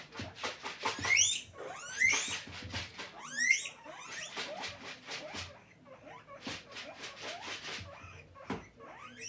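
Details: Guinea pig kept as a pet squealing for food: loud, sharply rising shrill whistles come in a burst early on, then softer chirps mixed with clicks and rustling.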